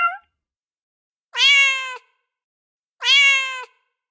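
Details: A cat in heat calls for a male: two prolonged, slightly rising meows about one and a half seconds apart, following a brief cut-off cry at the start, in otherwise complete silence.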